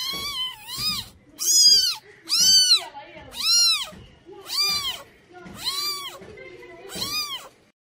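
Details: A cat meows insistently, roughly once per second, eight loud, high, arching calls in a row. Some are bright and strained, others shorter, with quiet gaps between them.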